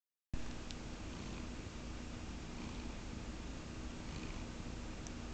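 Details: Caramel, a domestic cat, purring steadily in a low continuous rumble with no pauses, close and quiet, with faint soft clicks now and then.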